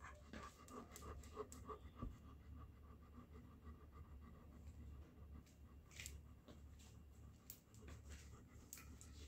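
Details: German Shepherd Dog acting guilty after being scolded, panting in quick, uneven breaths at about three per second, soft and low, while a man speaks Hindi nearby in a room.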